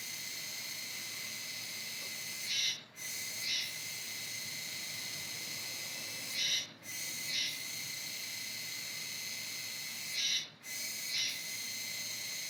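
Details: Steady grating buzz of the Kuroiwa tsukutsuku, an autumn cicada heard until about November, broken roughly every four seconds by a short gap framed by louder 'juwa juwa' bursts.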